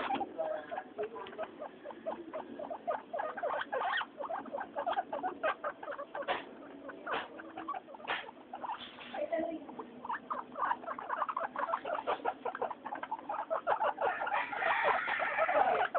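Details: Three pet guinea pigs, Mayumi, Archie and Miyuki, noisy during their weekly floor time: dense busy chatter of short squeaks and chirps at a steady patter, louder bursts near the end.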